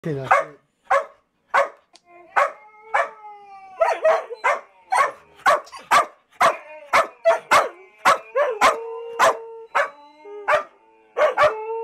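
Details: Samoyed howling along with a recording of a white husky howling: a long run of sharp barks and yips, about one to two per second, laced with sustained tonal howl notes holding steady beneath them.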